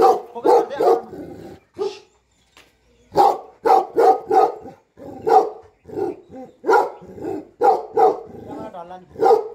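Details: Nepalese Bhote Kukur, or Tibetan Mastiff, guarding a farm and home, barking in irregular clusters of deep woofs separated by short silences, with some fainter mixed sounds between barks.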